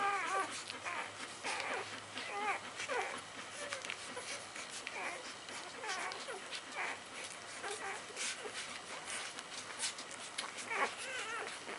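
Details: Puppies 48 hours old, born by C-section, feeding from their mother: soft high squeaks and whimpers come in short, scattered bursts, with faint rustling in the background.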